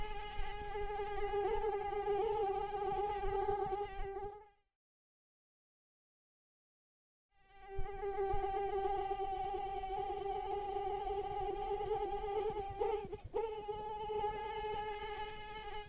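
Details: Mosquito in flight, a steady high whining hum with rich overtones, holding an even pitch for about four seconds, cutting to near silence for roughly three seconds, then resuming with a brief crackle near the end.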